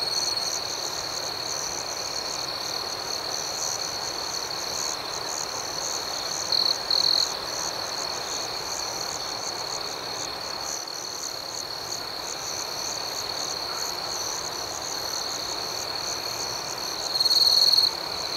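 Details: Crickets at night keep up a long, steady, shrill trill with fast pulsing. Two louder chirp bursts rise above the chorus, one near the middle and one close to the end.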